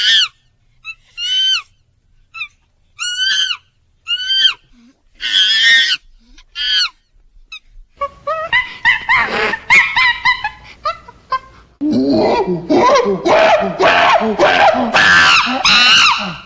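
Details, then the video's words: Monkey calls: sharp, high squealing chirps that bend up then down, spaced about a second apart, then a dense overlapping chorus of harsh screeches and squeals in the second half. "CRI du SINGE Bruit du Singe MONKEY sounds Verso della scimmia Monkey sound"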